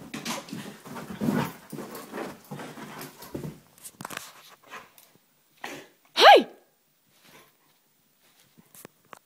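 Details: Male Vizsla named Mako, overexcited at home just after an 8K run, shuffles and huffs through several seconds of noisy activity, then lets out one loud sharp bark before near silence.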